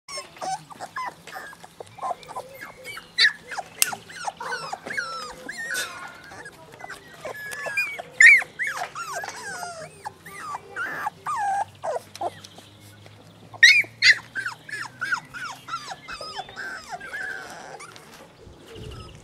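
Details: Labrador Retriever puppies from Herzhorn, Germany, with their mother: a dense chorus of high, wavering whines and squeaks, many rising then falling, overlapping continuously from several pups, with a few louder shrill peaks.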